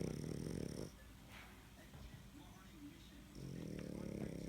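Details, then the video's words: Sleeping dog snoring: two long, low rumbling snore breaths at the start and end, separated by a quieter pause of about two and a half seconds with faint room noise. "My crazy snoring dog"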